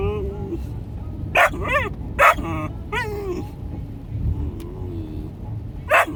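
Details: Marvin, a three-and-a-half-month-old male Australian Shepherd puppy, in a moving car mixes thin rising-falling whines with a few loud sharp barks, over constant engine and road noise and a person talking.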